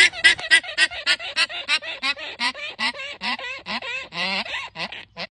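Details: Hagrid the alpaca gives a rapid laughing run of short honking, goose-like bursts, about four each second, with rising and falling tones, right after a joke about a llama's favourite drink.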